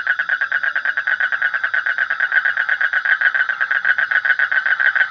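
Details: Frog calling in a fast, unbroken pulsed trill, rapid rattling notes running steadily for the whole stretch, with a faint high steady whine underneath.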